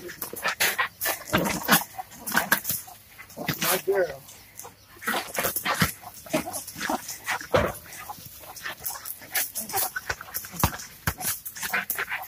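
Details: Three Jack Russell Terriers confronting a snake bark in rapid, overlapping bursts throughout, with short sharp yaps packed closely together; people talk and laugh in the background.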